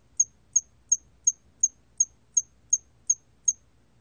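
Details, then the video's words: Korean hairy cricket singing in a 2020 recording: ten crisp, high-pitched chirps at a steady pace of roughly three per second over near-silent background. "털귀뚜라미, 1번 듣기, 곤충소리"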